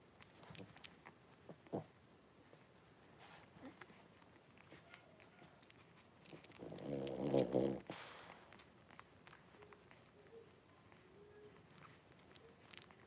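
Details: Litter of five blenheim Cavalier King Charles Spaniel puppies with their mother Paris in an indoor pen, January 2023; one loud, wavering, nasal whimpering cry about a second long amid quiet rustles, scratches and faint soft whines.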